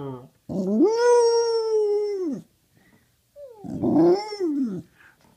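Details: Indoors, a dog gives two drawn-out vocal howls, the first a steady sustained tone of about two seconds, the second shorter with a slide up and down, separated by a brief silence.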